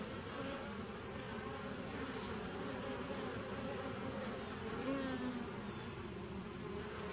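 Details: A continuous murmur of many bees, dated 27 September 2018: an even, unbroken buzz with low throbbing tones and a brief rising whine near the fifth second.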